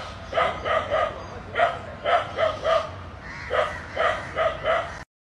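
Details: Dog barking on seeing two snakes entwined together: about eleven sharp, harmonic barks, mostly in quick pairs and triplets, with a short gap before the final run. The background is otherwise quiet.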